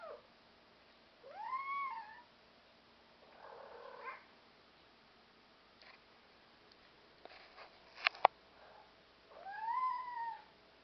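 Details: Black European Shorthair cats indoors; two clear rising-then-falling meows near the start and end, a softer muffled call between, and a few sharp clicks or knocks around the middle.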